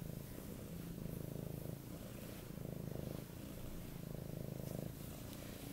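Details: Goldie, an affectionate eight-month-old male Siberian cat, purrs loudly while begging for cuddles: a steady low rumbling purr with rhythmic breathing swells about every second and a half, continuous throughout.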